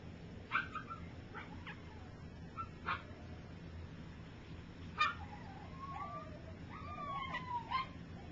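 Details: Three-week-old puppies from one litter learning to walk while others sleep; several short yips and thin whining squeals scattered through, including a drawn-out wavering whine near the end, over a low steady hum.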